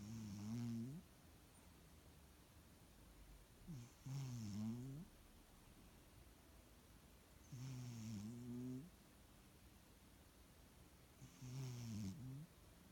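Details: Pet cat asleep and snoring, possibly from a blocked nose; throaty, buzzy breaths with a faint wheezy edge come about every four seconds, four in all, in a still room.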